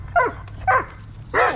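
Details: Dog barking during protection training, working the blind against a helper, recorded February 19, 2023: three sharp, loud barks spaced about half a second apart, with quiet low background noise between them.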